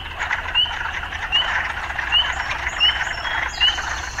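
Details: Urban frogs calling in a dense, steady chorus of rasping trills, with short bright upslurred notes repeated about every 0.75 seconds, five in a row, over a continuous hum.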